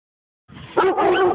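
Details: Rik, a dog meeting a wild boar for the first time, gives a quick burst of barking: a faint lead-in followed by two loud, sharp barks back to back, all within about a second.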